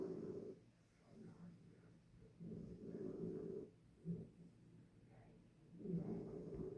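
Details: In her bed, sleeping dog Harriet breathes in soft, rough snores, several low rumbling breaths rising and falling at an uneven pace.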